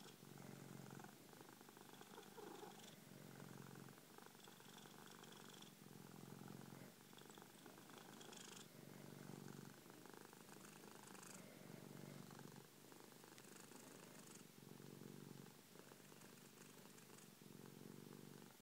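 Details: A 3-year-old male Persian cat lying on a person's chest gives a loud, continuous low, throaty purr that pulses in even cycles of about a second, shifting slightly in tone between inhale and exhale.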